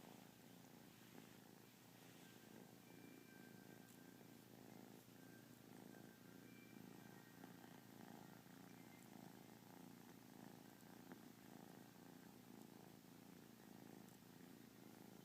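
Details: Yawning kitten lounging through a lazy day, purring in a long, even, rumbling drone with a gentle pulsing beat, continuous from start to finish, with faint thin tones in the background.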